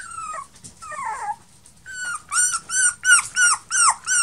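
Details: Male Toy Poodle puppy born 1 May 2018: two soft descending whines, a pause, then a run of six loud, high, arched yelping whimpers in quick succession, about three per second.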